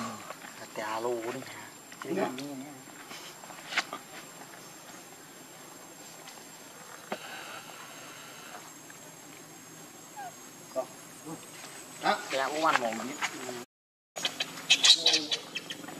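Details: Baby monkey giving wavering, quavering cries in two bursts near the start and again toward the end, with long quiet rustling stretches between and a brief gap of silence.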